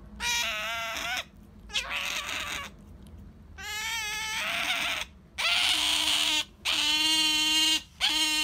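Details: Sakura, a female pet otter, calling out for jerky: a series of loud, high, strongly harmonic squealing cries, each about a second long, repeated with short gaps and rising and falling slightly in pitch.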